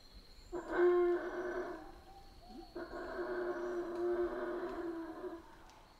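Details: Howler monkeys in the Central American rainforest: two long, drawn-out roaring howls, the first about one and a half seconds, the second a steadier two-and-a-half-second moan, over a constant thin high whine in the background.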